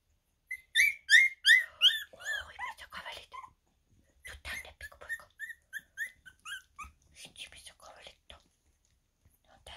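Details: Two-and-a-half-week-old Havanese puppies squeal in a fast run of high, arched squeaks, loud at first, then a softer second series of rising-falling peeps, roughly three per second.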